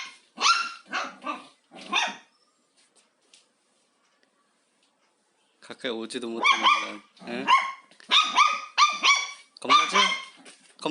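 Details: Indoors during house cleaning, Haengbok the dog, wary but curious about the vacuum cleaner, fires off several sharp barks, falls quiet, then unleashes a dense, fast barrage of high yaps with a voice nearby.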